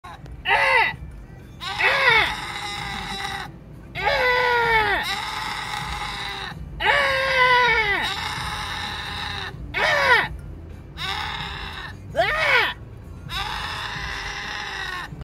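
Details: A goat in Mexico yells at passengers in a car, loud wavering, strained bleats that rise and fall, alternating with a passenger shouting back in imitation, several exchanges over about fifteen seconds.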